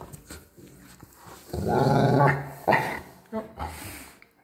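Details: Bernese Mountain Dogs Dustin and Penny, reacting while being blown on, give a low, rough grumbling growl that swells into a short bark-like burst, followed by brief yips, with human talking throughout.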